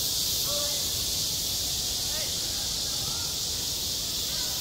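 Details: A summer school playground alive with cicadas: an even, intense high buzz sustained without break, accompanied by faint brief gliding sounds, possibly distant voices, and low background rumble.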